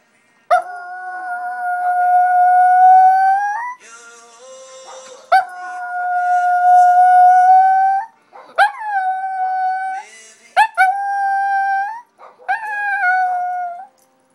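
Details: A female Shih Tzu "sings" along to Michael W. Smith's song "Breathe", the only song she joins in with, howling in long, steady, mid-pitched notes that rise slightly at each end.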